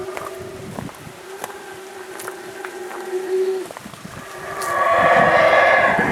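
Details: Howler monkeys at Lamanai, Belize, roar in the morning, when they woke visitors daily. After a steady low drone, a broad, guttural roar builds in the distance and holds, swelling in loudness toward the end.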